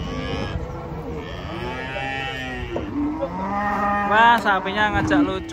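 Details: Giant cattle coming down from a truck in the morning. Several drawn-out, low, harmonic moos overlap in the first three seconds. Louder, higher, wavering bellows and voices follow near the end.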